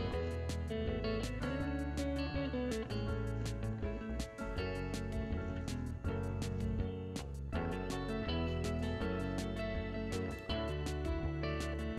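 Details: Strummed acoustic guitar music with regular plucked chords throughout and no animal voice.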